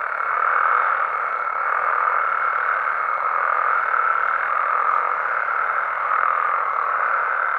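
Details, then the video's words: Nighttime chorus of Mexican frogs and toads in the wild, an unbroken mass of overlapping mid-pitched croaks that rises and falls slightly, with a faint steady high tone running throughout. "Mexican Frogs & Toads Sounds"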